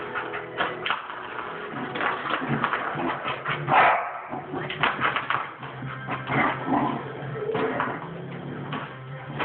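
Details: A dog barks at the door indoors: rough, broadband barks come in uneven bursts over about nine seconds, mixed with some faint human speech and household noise.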